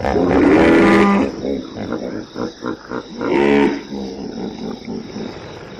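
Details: Hippo vocalizing: a loud opening bray, then a quick series of pulsed grunts roughly every quarter second, and a second loud bray before fading into hiss.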